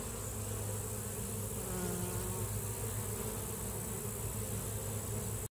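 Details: A continuous, even drone of honey bees at the hive, low and unbroken from start to finish, with no other clear sounds.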